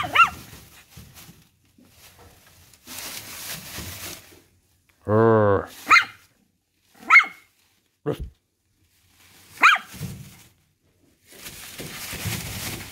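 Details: Miniature Schnauzer puppy answering its owner with a series of short, high-pitched yaps spaced one to two seconds apart, following a deep human voice imitating a bark, with soft rustling in between.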